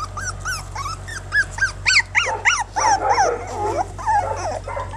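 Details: A rapid string of squeaky, arched yips, several per second, from ten one-month-old Jack Russell Terrier puppies playing on a back-yard lawn without their mother, over a steady low hum.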